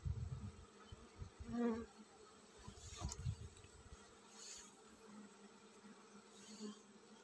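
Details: Hum of a honey bee hive getting ready to swarm, a constant low drone with an upper overtone, broken by knocks and short louder swells near the start and around the three-second mark.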